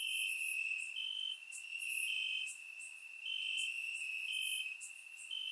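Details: Bulgarian crickets calling at night on a warm summer evening in grass; an unbroken high trill with raised bursts recurring about once per second and loudness rising and falling.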